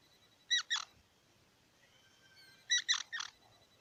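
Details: Squirrel voicing two bursts of loud, harsh squeaky chirps, two notes then three, with faint drawn-out tones between them over a soft background hiss.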